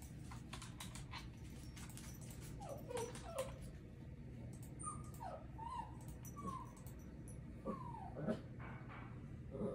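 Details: Papillon dog whimpering indoors: thin high whines sliding down in pitch, several short falling yelps spread across the clip, with low background hum and faint clicks.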